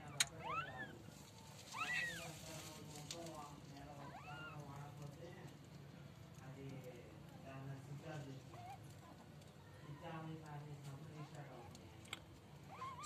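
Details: Young kittens starting to make sounds indoors: a few thin, rising-then-falling mews near the start, another around the middle, and one at the very end. Between them a person softly calls "Skitty, kitty", over a low steady hum.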